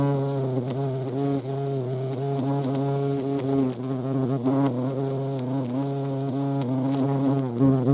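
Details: Close, continuous low hum of a European hornet (Vespa crabro) in flight, even in loudness, its droning pitch wobbling slightly up and down throughout.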